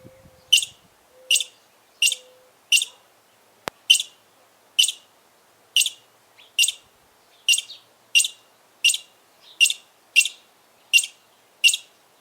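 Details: Squirrel chirping loudly: sharp, high, broadband chips in a steady series, roughly every 0.6 seconds, about eighteen in all, after a brief low tone and a single click at the start; background otherwise quiet.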